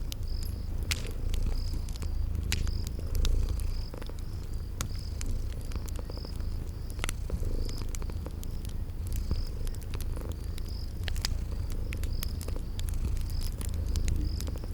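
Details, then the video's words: Sleeping kitties purr softly and continuously in a spring garden scene; prominent high cricket chirps pulse about twice a second, and fireplace crackles snap intermittently over the low purring. "Sleeping Purring Kitties"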